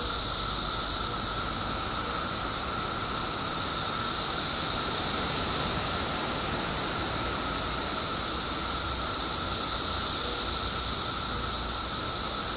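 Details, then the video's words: Billions of periodical cicadas, out after 17 years below ground in Illinois, keep up a constant wall of sound: high sizzling hiss plus a lower sustained whine, even in loudness throughout. "Billions of Periodical Cicadas Emerge After 17 Years Underground Cicadas Making Noise Illinois State"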